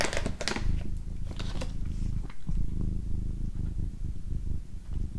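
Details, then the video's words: A female pet cat purring for a relaxation recording: a steady low rumbling purr runs throughout, with a few crackling clicks and faint whisper-like noises near the start. "Cat Purring"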